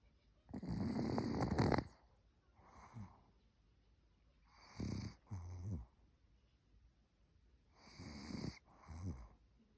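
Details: Old Maltese dog Cookie snoring while asleep: a long loud rasping inhale, then softer paired breaths recurring every three to four seconds, rough and rattly, with quiet between.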